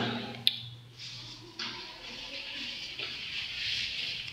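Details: Running water hisses as if from a sink, with a sharp click near the start and a low hum fading early.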